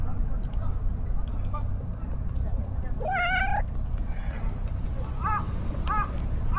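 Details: Stray calico cat on a Japanese cat island, met right after leaving the ferry, rubbing against feet while being petted; one clear drawn-out rising meow, then three short, softer mews, over steady low rumbling background noise.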